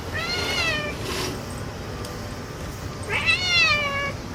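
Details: Excited house cat calling out on discovering a cicada, giving two drawn-out meows, one near the start and a louder arched one near the end, separated by quieter noise and faint clicks.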